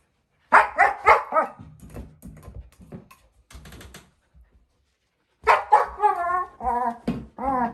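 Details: Playful four-month-old female German Shepherd puppy with her bowl gives three sharp barks, softer grumbles, a pause, then a string of rising and falling howling whines. Indoor room.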